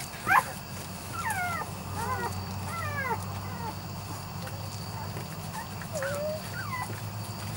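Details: Puppies of Biscuit's Weimaraner and Weimaraner-Vizsla litter, aged three to four weeks: one sharp yelp at the start, then a few drawn-out falling whines spaced apart over a low steady hum.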